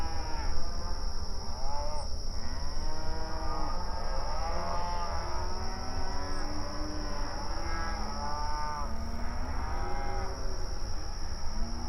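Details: Mournful night-time mooing from a group of cows, with many moos overlapping, some deep and groaning, others higher and wavering, rising and falling. A constant thin high whine and a low background rumble continue under them.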